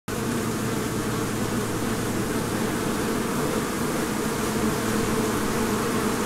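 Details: Many honeybees making honey hum together in a steady, low, unbroken drone.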